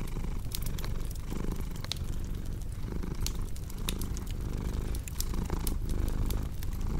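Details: Low, vibrating cat purr pulsing in breath cycles of roughly a second, with frequent crackles and pops from a fireplace throughout.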